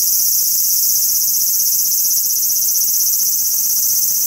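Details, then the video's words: A large brown cicada (aburazemi) sings from a cherry tree in a park: a loud, continuous high sizzling buzz, like oil frying in a pan. "アブラゼミの鳴き声 蝉 セミ"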